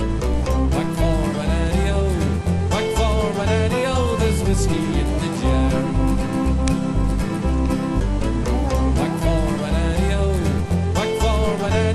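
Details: Steady country-bluegrass music with strummed guitar, banjo runs and singing fills the whole stretch; no animal voice stands out.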